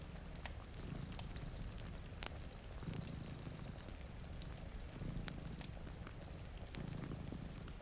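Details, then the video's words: Two cats sleep in front of a rainy window beside a cozy fire. Their steady low rumbling purr swells in breathing cycles roughly every two seconds, with sharp fireplace crackles and the soft hiss of rain. "Purring Cat"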